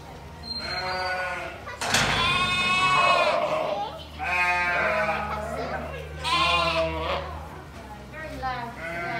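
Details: Lamb (Ovis aries), bleat.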